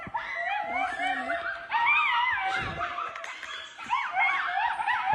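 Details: Wolves calling in several overlapping, wavering tonal howls and yips that rise and fall in pitch. The voices come in bursts across the whole stretch, with some rustling below.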